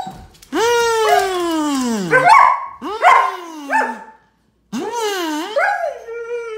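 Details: A pet German Shepherd reacts excitedly to a kazoo, a kids' toy, with howling whines that slide downward, broken by sharp yelping breaks and rising and falling again, in three bursts with short pauses.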